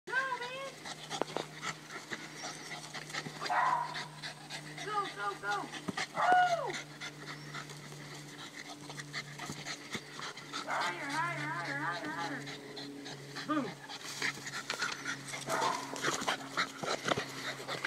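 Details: A Boston Terrier playing with his basketball, pushing it like a soccer ball, gives wavering, high whines and quick pants, with a person talking at times.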